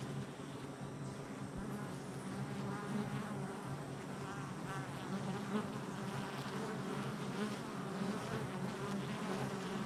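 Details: Dense, even hum of numerous honey bees coming and going at their hive entrance, July 22nd, 2024; steady low wing drone with faint shifting overtones and occasional nearer buzzing fly-bys.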